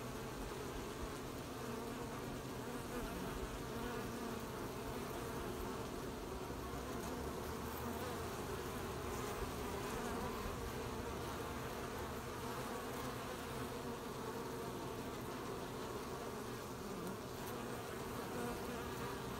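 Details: Many bees at work collecting honey on 20 July 2020, a constant low buzzing swarm hum holding an even level throughout, with slight shifts in texture as insects move nearer and farther.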